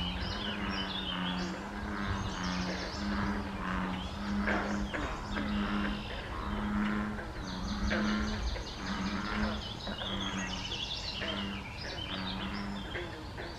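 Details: Frogs at a small pond along the Air Line Trail near the Colchester Spur junction, May 21, 2024. Low, resonant calls repeat about once a second throughout, mixed with layered chirping and trilling birdsong.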